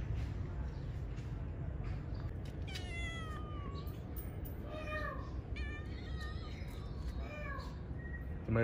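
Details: Domestic cat meowing: a string of about four or five drawn-out, falling, tonal meows, each sliding down in pitch, spaced a second or two apart over a steady low rumble.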